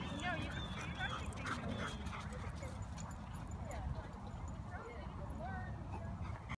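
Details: Laika, a Siberian Husky at a dog park on Halloween, wants to play while the other dogs ignore her. Her thin, high whimpers and short yips come in scattered bursts over background music and steady park noise.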